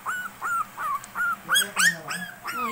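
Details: Princess-type Shih Tzu puppy, 23 days old in its third week, gives about seven thin, high whining yelps, each a short rising-then-falling squeal spaced roughly every 0.4 seconds, the later ones sharper and louder.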